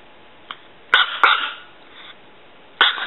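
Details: A tiny six-year-old female chihuahua weighing less than three pounds barks: a soft yip, then two rapid piercing barks close together, a pause, and one more abrupt high bark.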